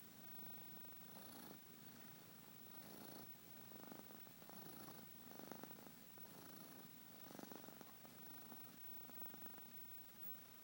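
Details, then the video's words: Sleeping domestic cat snoring softly: raspy, pulsing breaths recur about every one and a half seconds, each a short broadband rasp, against a quiet steady hiss. "Snoring kitty"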